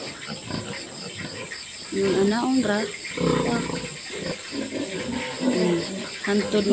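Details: Sows in heat at an artificial insemination session give repeated tonal squeals with bending pitch. The squeals come in several separate bursts, mixed with grunting and people's voices.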